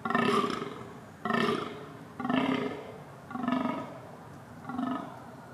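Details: Red deer in rut calling: five rough, throaty bellows in steady succession, each rich in harmonics and slightly drawn out, the last ones growing softer.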